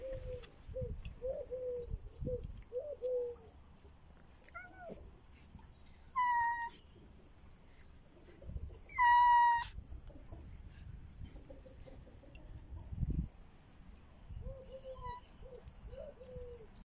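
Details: Cats greeting their owner at a bench: a run of short, plaintive meows, some soft, two louder drawn-out cries midway, with faint bird chirps and outdoor rustling in the background.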